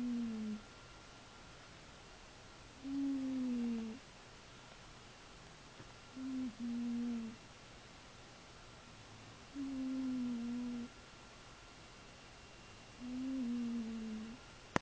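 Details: A dozing cat snores in a small quiet room: five short, low whistling breaths come at fairly regular intervals of about three seconds, some slightly wavering, over a steady background hum.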